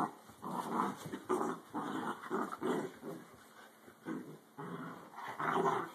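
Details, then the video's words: Fighting dachshunds caught on a phone recording: gravelly growls and snarls in short repeated bursts, irregularly spaced, some louder than others, with a short pause near the middle. "Dachshund fight"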